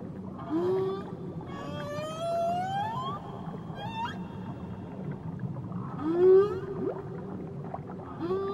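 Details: Whale song recorded off Tahiti: rising tonal sweeps with rich harmonics, a long upward glide around two seconds in and a repeat near six seconds, over a steady low underwater rumble.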